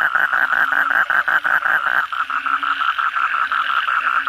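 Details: Many kodok bangkong frogs croaking at night after heavy rain; one close caller gives a quick series of loud pulsed croaks that ends abruptly, leaving a busy chorus behind.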